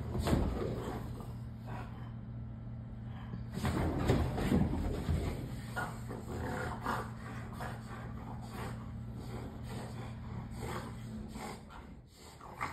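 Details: French bulldogs playing together at home while their owner is away, giving rapid rough grunting and snorting noises, roughly three per second in bursts, over a steady low electrical hum indoors.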